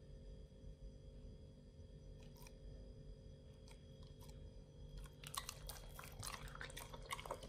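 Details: Nomyen, a Pit Bull, eating a raw beef shank combo with green tripe, chicken feet and quail egg indoors. Sparse wet clicks and soft drips at first, then dense, crunchy, irregular chewing bursts after about five seconds over a steady low hum.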